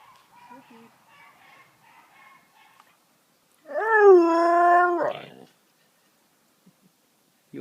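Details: Pet Siberian Husky being chatty and making silly noises: faint soft whiny murmurs over the first three seconds, then one loud, harmonic, howl-like vocalization that rises, holds a steady pitch for about a second, and breaks off abruptly.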